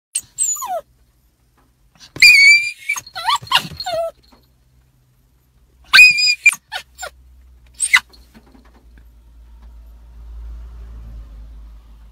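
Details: A Teddy (toy poodle) dog inside a car, frantic with excitement at seeing a small female dog outside, gives high-pitched whines and yips in short bursts, some sliding downward, with pauses between, then a low engine rumble.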